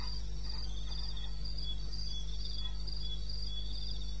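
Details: Crickets in eastern Botswana wilderness, recorded at night around 2:30 a.m. on 21 May, trill in evenly spaced high chirp bursts, two voices alternating and overlapping, over a steady low background drone.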